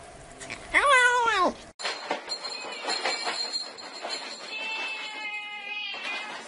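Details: Domestic cat giving a meow meant to chase mice: one loud arched meow rising and falling over under a second, followed by a rumbling, clattering mechanical noise with a faint tonal whine.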